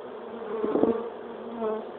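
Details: Western honeybee swarm coming back to the hive at dusk after a typhoon, having fled with a wing-clipped queen; continuous buzzing drone, one bee passing loudly near the middle, then the hum settles again.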